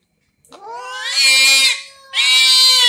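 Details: Angry domestic cats, including a ginger cat, in a quarrel: two drawn-out, harsh, high yowls, the first swelling over about a second, a short pause, then a second loud strained wail.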